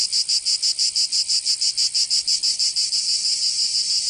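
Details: Cicadas calling on a summer day in Provence, southern France: a bright, high buzz chopped into crisp regular throbs about four times a second, smoothing into a steadier shrill hiss near the end.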